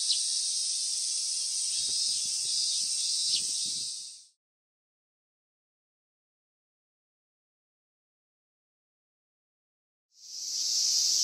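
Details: Cicadas at the end of summer, recorded 19 August 2020: a steady high hissing drone for about four seconds, then a long silence before the shrill buzz returns in the final second; faint low thumps under the opening.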